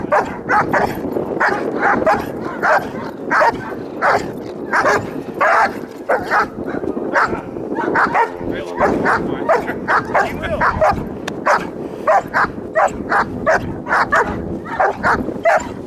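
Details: German Shepherd in bite-wedge training, producing a long run of loud, rough barks, about one and a half per second and uneven in spacing, sometimes breaking into whining yips.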